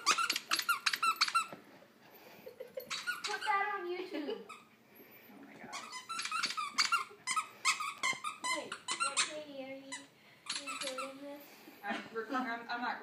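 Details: A four-year-old terrier gives muffled, squeaky half-barks through a squeaky toy held in his mouth while wanting to bark at and chase a laser, with a person talking nearby.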